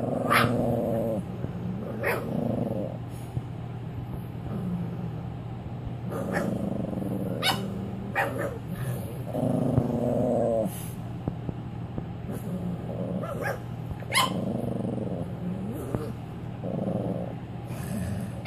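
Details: A female Cavalier King Charles Spaniel puppy on her first night home, being crated, gives repeated whining cries mixed with low grumbling growls, turning defensive toward another dog.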